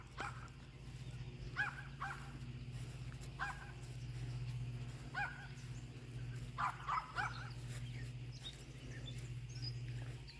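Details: Yorkshire Terrier named Iris barking at a groundhog outdoors: short, sharp barks come in scattered bursts, some in quick pairs, over a steady low mechanical hum.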